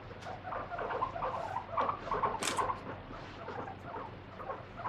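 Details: Guinea pig kept free-roaming, protesting as it is caught and wiped during a body check; a rapid run of short, mid-pitched squeaks and chatters, several per second, with a brief rustling burst in the middle.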